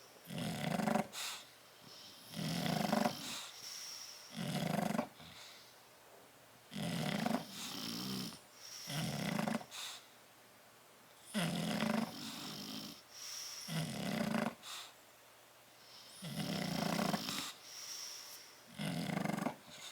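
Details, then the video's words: Two sleeping bulldogs, Tyson and Tyra, in a crate on 10/30/12, snoring steadily: short grating snorts in irregular pairs, roughly a dozen over twenty seconds, with low breathy rumbles between. "Tyson and Tyra Bulldog sleeping and snoring in crate"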